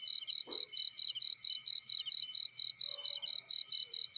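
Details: High, ringing cricket chirps in a field near a burning fire, sixteen evenly spaced pulses in about four seconds, with a brief low crackle and a faint midrange sound in the background.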